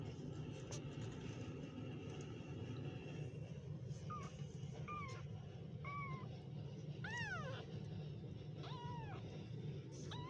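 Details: Kittens calling, starting with a few faint mews and ending in louder, sharply falling cries near the end, all over a constant low rumbling background.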